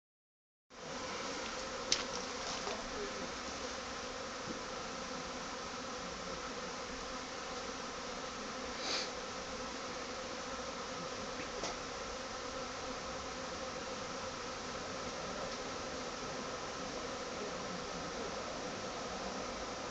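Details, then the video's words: Honey bee swarm that has moved into an empty hive box in a garden; a dense, steady droning hum of many bees fills the whole stretch, with a few faint clicks and bumps. "Honey bee swarm in my garden"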